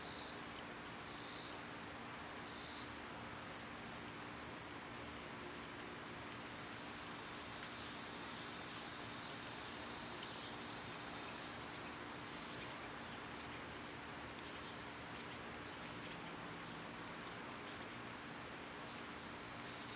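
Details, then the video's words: Cicadas singing in summer: an unbroken high-pitched drone dominates, a few buzzy pulses at the start then fading away, leaving the steady ringing tone over quiet outdoor background. "Birds & Squirrels w/ Cicada sounds"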